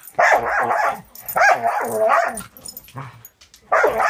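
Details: Six-month-old foster Border Collie mix Angel in a play session with Cisco, another dog, gives rapid gruff barks and growly yips in clusters, with a short pause before a final outburst.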